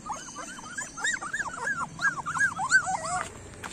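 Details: Street puppies crying in a quick series of short arched whines, each rising then dropping, repeated about three per second, with faint background rumble.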